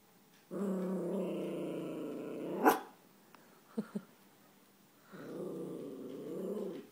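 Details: Chewy, an eleven-month-old Yorkshire Terrier, growls at his reflection indoors: a sustained low rumbling growl of about two seconds, a sharp knock, brief yips, then a second long growl rising toward the end.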